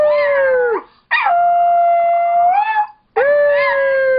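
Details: A seven-pound female Chihuahua-Dachshund mix "sings," crooning in long, sustained howls, each held about a second with slightly wavering pitch.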